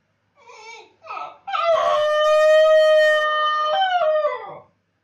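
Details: Howling Basenji with its owner away: two brief rising yips lead into a sustained, even-pitched howl lasting over two seconds, ending in a short falling slur.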